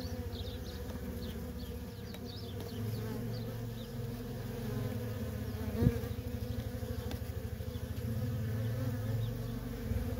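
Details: Busy worker bees of a feral honey bee colony produce a deep, throbbing hum that pulses slightly in loudness. A single sharp click stands out near the six-second mark.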